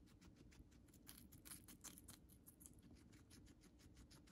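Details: Moru-chan, a pet guinea pig kept at home, eating Chinese cabbage: quiet, rapid crunching clicks in a steady run over a low indoor hum.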